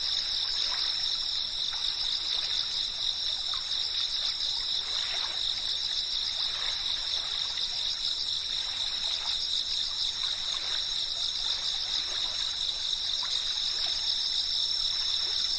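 A steady, high-pitched insect chorus of cicadas, with trickling water underneath.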